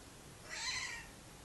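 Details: Pet cat named Vala chatting with her owner outdoors; a single soft, drawn-out meow with a rising then falling tone, quiet against a faint background hiss.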